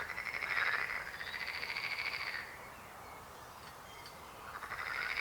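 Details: A frog gives a long, fast, rattling pulsed trill for about two and a half seconds, falls quiet, then begins another rattling croak near the end.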